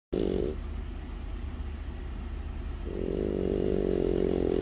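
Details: French Bulldog snoring while asleep: a short low raspy snore at the start, a gap, then a longer rough rumbling inhale-exhale swelling toward the end.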